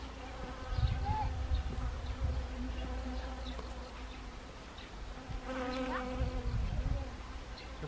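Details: Honeybees among flowering Siberian chrysanthemums, Gangwon Province, South Korea, 1 October 2020, autumn; overlapping droning buzzes that swell, dip in the middle, then rise again as a bee nears, with small pitch bends.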